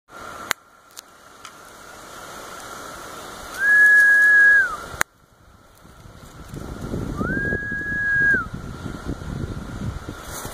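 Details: Male Pharaoh cicadas (Magicicada septendecim), Brood V, 12 June 2016, coaxed into calling by finger snaps that mimic female wing flicks. A steady droning hum rises twice into a louder, higher, drawn-out buzz and then drops back. Sharp snaps are heard between calls.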